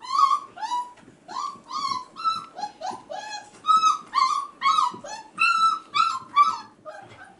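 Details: Male F1b Goldendoodle puppies, five and a half weeks old, crying indoors while their sisters play with children. Steady series of clear, high whining cries with rich overtones, each about half a second, repeated almost without pause.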